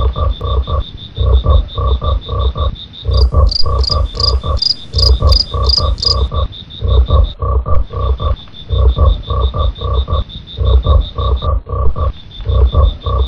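Frogs give low, throaty croaks in quick pulsing bursts, repeating in a steady rhythm. A thin, high insect-like trill runs continuously above the chorus.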